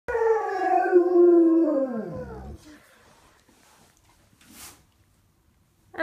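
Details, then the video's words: Pet dog that habitually howls at sirens and the ice cream truck, howling along with a girl imitating its howl: a loud, drawn-out wail sliding steadily downward over two seconds and fading out, followed by quiet. "Doggy Duet"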